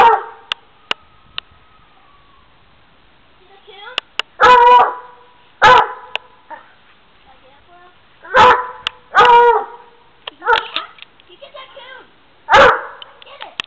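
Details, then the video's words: Black and Tan Coonhound that has found a stuffed raccoon in a tree, letting out repeated loud baying barks and howls every second or two with a few short yips in between. "Coonhound: Apollo Finds a Coon"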